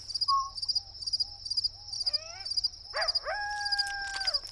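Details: In the Sonoran Desert saguaro wilderness at night, crickets chirp in a steady, high-pitched pulsing trill, about two pulses a second, under rising, wavering coyote howls and a few soft owl hoots.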